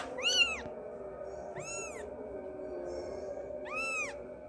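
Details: Kitten calling its mother with three clear, high, arched meows at even intervals of about one and a half seconds, over a faint background hum.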